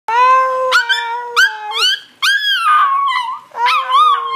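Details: A small chihuahua dog singing: long sustained howls with rich harmonics, some steady and some wavering or sliding upward, in four or five drawn-out phrases separated by brief pauses.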